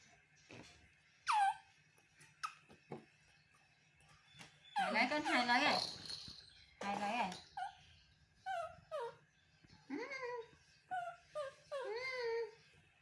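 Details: Young male monkey crying for its mother's comfort and hug: scattered loud squeals and a long harsh wavering cry, then a series of short falling whimpers packed closely together near the end.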